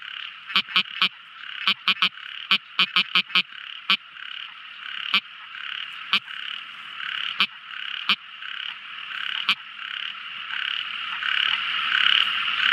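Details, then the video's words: Tiny frog at night giving sharp clicking notes, often in quick pairs or triplets, then sparser single clicks, over a dense steady high-pitched background chorus. "Amazing Sweet Sound Tiny Frog Crying | Never Listening So Beautiful Frog Song! At Night Time!"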